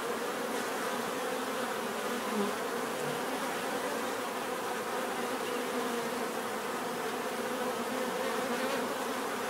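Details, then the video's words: Steady collective hum of bees, the droning tone wavering slightly as single insects pass nearer, heard as an unbroken natural buzz. "bees therapy relaxing natural buzzing sound"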